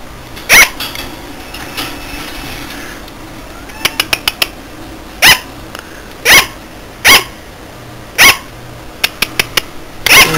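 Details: A sugar glider gives sharp, high yapping barks at uneven intervals a second or two apart, a sound it sometimes makes in the middle of the night.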